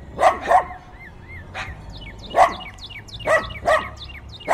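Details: Dogs barking fiercely outdoors on a windy day, recorded binaurally: loud, rough barks in twos and singles, about seven in under five seconds, interleaved with a cardinal's bright falling chirps and soft slurred notes.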